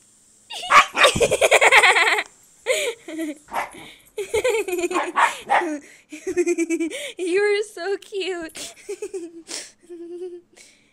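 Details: A female Siberian Husky puppy, playing wildly and biting, yips and yowls in quick, wavering bursts, with a person talking nearby.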